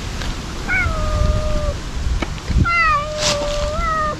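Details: Ear-tipped stray cats cry out loudly while being fed wet food and treats in a ruin-like outdoor spot, eating fast but warily; two long, wavering meows, the second dipping then rising, over low rumbling background noise.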